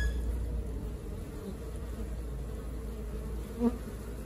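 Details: Honey bees of a working colony give a continuous low droning buzz, fairly even throughout, with one brief tap near the end.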